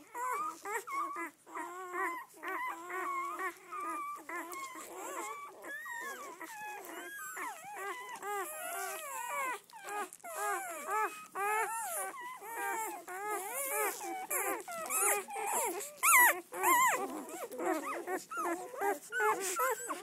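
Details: A litter of red-rust Doberman Pinscher puppies, seven females and four males born 7-12-10, out for the first day, keeping up a long busy chorus of high whimpers, squeals and yelps, about two calls a second.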